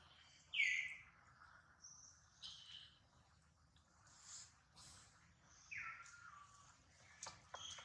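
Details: Baby monkey Duke, who failed to catch his mother Duchess, gives two sharp, high screams that slide downward in pitch, one near the start and one late, over faint chirps and rustling in the background.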